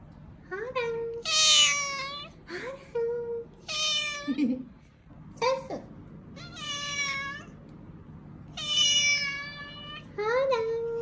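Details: Fragile rescued kittens met on the road back from a family funeral, clinging to one another. Loud, drawn-out, insistent meows repeat about every two seconds, some rising sharply at the end, with brief quiet voices in between.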